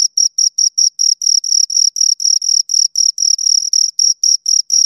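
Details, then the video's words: Close recording of two crickets: high, shrill chirps spaced a little apart at first, then lengthening into longer buzzing pulses, roughly four per second, with nothing else heard. "Two Crickets Chirp Sounds for Two Hours Right on Your Ears"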